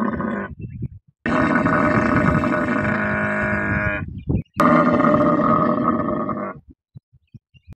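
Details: Desert-living Thari camel bellowing in long, harsh, gurgling roars with a rattling buzz, two extended bouts broken by a brief pause, then trailing off into short soft grunts.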